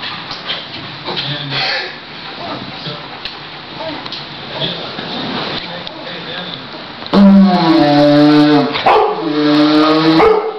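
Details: A 10-month-old Newfoundland puppy reacting to a didgeridoo at home; a low buzzing drone and soft voices first, then the dog breaks into wavering, rising and falling howls over the last few seconds.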